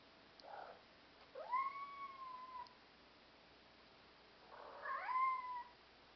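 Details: Black European Shorthair cat in Vienna, described as communicative and self-assured, gives two drawn-out meows about three seconds apart. Each rises quickly, then slides gently downward with clear harmonics, and a soft short mew comes just before each.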